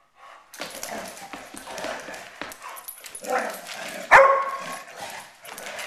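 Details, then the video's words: Poodles fighting indoors: a rough, noisy run of snarls, growls and short barks with no clear rhythm, then a sharp, loud yelp about two-thirds through before the scuffling sounds carry on. "poodle fight"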